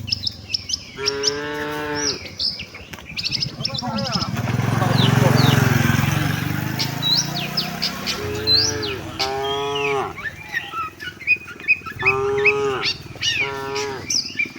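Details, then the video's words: Tame cattle heading to the shed together with the herd. Several long, mellow moos come at intervals. A rumbling low noise swells in the middle, and busy bird chirps and tweets fill the background. "suara sapi moo"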